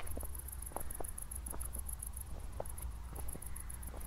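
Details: Crickets chirping at night following a thunderstorm near Zwettl, Austria: high, even pulses repeat rapidly, briefly fading once, with footsteps crunching and a low drone in the background.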